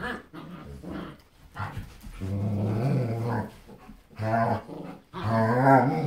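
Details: German Shepherd parents playing with their young puppy daughter, teaching her to play; deep, rumbling, throaty growls in drawn-out bursts, with short pauses and softer grunts between.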